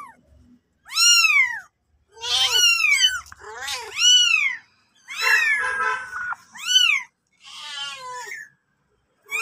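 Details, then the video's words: Mother cat and kitten meowing indoors: a series of high, arching meows, each rising then falling, repeated about every second with short gaps, some calls thinner and squeakier than others. "cute mom cat and kitten"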